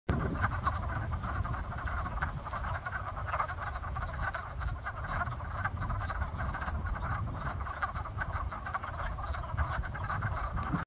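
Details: A dense chorus of wood frogs, recorded 17 February 2023, giving low, clucking, duck-like croaks that overlap without pause.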